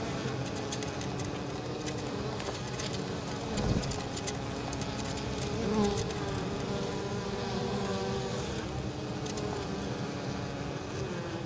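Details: Many honey bees flying in and out of their hive, carrying pollen and likely nectar on a mild 23 October day near fields; a continuous low, thick buzzing with shifting pitches and one short thump.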